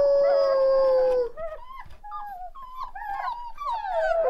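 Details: A pack of one-month-old Rottweiler puppies howl together: one long, steady tone followed by wavering, overlapping yips and rising wails.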